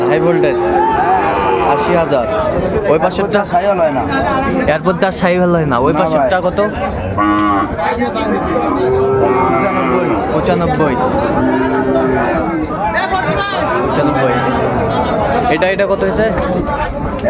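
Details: Sahiwal bull calves at a cattle market in Chittagong, Bangladesh, on 17 January 2025: several low, drawn-out moos with flat, steady pitch rise through dense crowd chatter and loud men's voices bargaining nearby.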